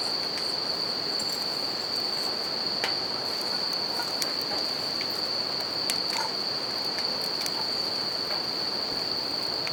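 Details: Riverside campfire scene with bell crickets ringing continuously on one high, clear pitch; the river's broad rushing sound fills the background and brief pops from the fire punctuate it.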